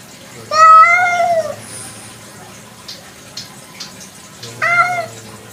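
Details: Nighttime kampung cat, a domestic cat, gives two meows several seconds apart. The first is longer and arching, the second shorter and falling. Faint clicks and a low hum sit between them.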